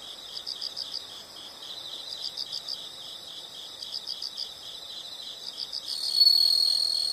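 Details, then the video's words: Insects in a natural setting, offered as calming background sound for study or sleep: steady rapid pulsed chirping high in pitch, about four pulses a second in short bursts, with a louder continuous trill entering near the end. "the sound of insects"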